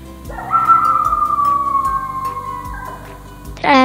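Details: A coyote (Canis latrans) gives a long, steady howl that slowly falls in pitch, over soft background music.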